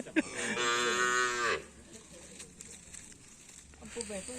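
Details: Karapan sapi racing cattle training at the Asemanis track, Pamekasan, before upcoming Bayangkara and Bupati Cup events. A strong, sustained, harmonic moo of about one and a half seconds opens the recording, then gives way to low murmuring and outdoor noise.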